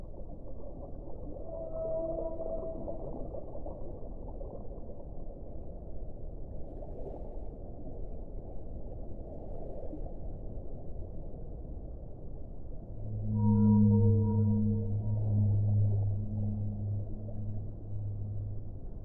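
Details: Whale song heard through steady underwater rushing noise. Faint brief higher notes come early, and a strong low harmonic moan rises late and lasts several seconds before fading.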